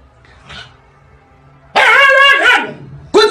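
A Siberian husky gives a loud, strained, wavering cry lasting most of a second, its pitch bending up and down. After a short pause it begins a second, similar outburst.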